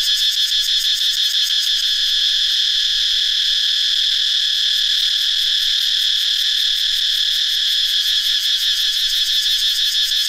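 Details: Forest in northeastern Thailand, dry season, many cicadas singing at once: a shrill continuous buzz with a rapid regular throbbing, about three pulses per second, running through the whole stretch.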